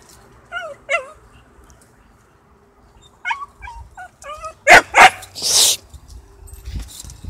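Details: Small dog attacking a bigger dog in a fight: thin, whining yelps with bending pitch in short bursts, then two sharp loud barks and a harsh noisy snarl, followed by a faint thump.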